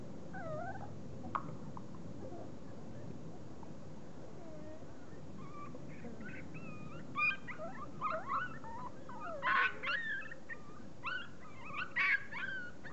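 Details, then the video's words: Forty-day-old puppies whine and whimper, thin rising and falling squeals overlapping from several young dogs, sparse at first then growing louder and busier in the second half, over a steady low hum. "Puppies 40 days old"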